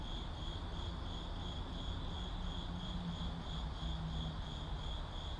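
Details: Urban crickets: an unbroken, shrill, pulsing trill rides above heavy low-frequency road noise and a faint droning hum.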